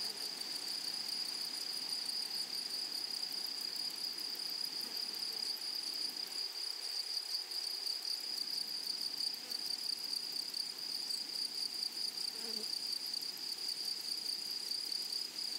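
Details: A long, even chorus from grasshoppers in a flowery meadow: a steady, needle-thin high trill with quick rhythmic pulsing above it. Sound level stays unchanged, and a faint brief blip comes late on.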